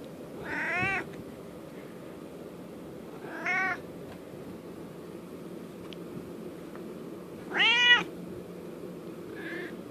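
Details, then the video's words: Talking domestic cat begging for its treats indoors: three separate meows spaced a few seconds apart, each rising and then falling, with the last one loudest and most drawn out, against a low room hum. "Talking cat--Merlin wants his treats"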